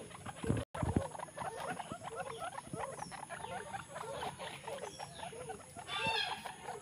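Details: Guinea pig baby suckling milk from its mother, uttering quick repeated squeaks at a steady pace, interrupted by a brief knock near the start, then a higher chirping burst toward the end.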